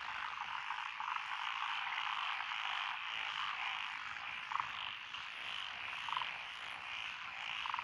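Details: Frogs calling from lotus rice paddies beside a country lane in Echizen, Fukui Prefecture, Japan, on 12 June 2021, where several species, including tree frogs and pond frogs, were present. A dense, steady chorus drones throughout, with a few brief louder croaks standing out.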